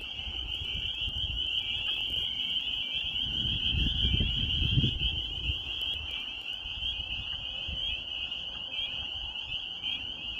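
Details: Spring peepers calling in Maine countryside in spring: a dense, unbroken chorus of high, shrill peeps merging into a steady ringing band, over low rumbling background noise.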